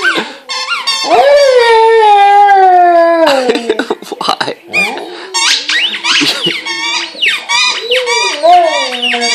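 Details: A Vizsla gives drawn-out, falling howls and high whines at his squeaky toy, with a person talking alongside.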